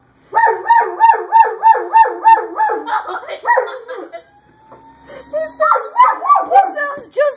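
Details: German Shepherd named Jamie reacting to a passing fire engine, howling in quick repeated rising-and-falling wails about three per second that echo the siren, then more ragged wavering cries; a person speaks briefly.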